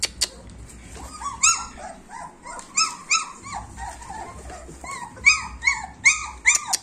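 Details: A litter of German Shepherd puppies, 26 days old, whines constantly in overlapping high, arched squeals that rise and fall. The cries come in quick, uneven bursts of two or three every second, with several pups calling at once over a faint low hum.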